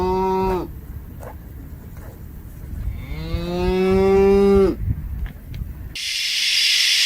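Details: Loud cow moo, a long harmonic-rich lowing call lasting about two seconds with steady pitch, preceded by a brief moo cut off at the start; ends with a burst of hissing noise.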